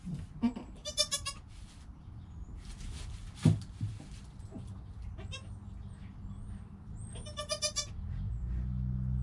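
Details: Goat kid Joel in his first hour of life, mother Penny close by: short nasal bleats, one early and one late, separated by rustling, a sharp knock and low background rumble.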